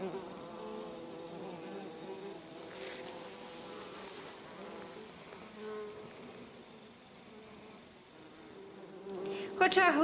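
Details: Bumblebees around a damaged nest with larval cocoons and honey pots hum in a soft, wavering drone, partly masked by hiss and rustling. A sharp louder burst comes at the close.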